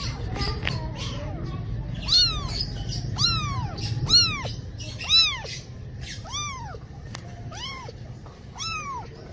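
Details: A cat gives a run of arched meows that rise and then fall, spaced about a second apart, over a low rumbling background and a faint murmur of voices at the start.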